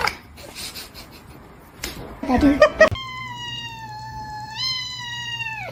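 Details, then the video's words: Domestic cat in a funny cat compilation: one long, steady, wailing meow held for about three seconds, rising slightly before dropping off at the end, following a stretch of chatter and clattering sounds indoors. "kitten meowing crying"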